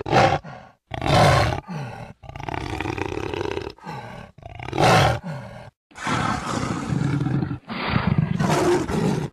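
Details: Jaguar roaring, recorded in 2013: loud, harsh, rasping bursts about a second long, with a longer drawn-out roar near the middle, separated by short silent gaps.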